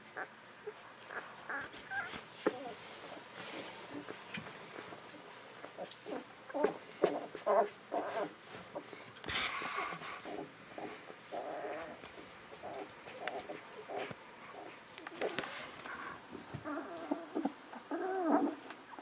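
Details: Newborn Golden Retriever puppies, 11 to 13 days old, from the litter of Aiko of Haarby and Lady Dina, whining and squeaking almost continuously in thin, wavering cries, with bursts of rustling and movement.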